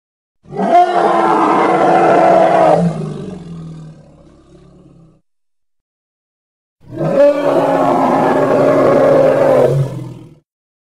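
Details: Two long, rasping hippopotamus roars from Congo, each about three to four seconds, separated by several seconds of silence. The first trails off into a fading low rumble.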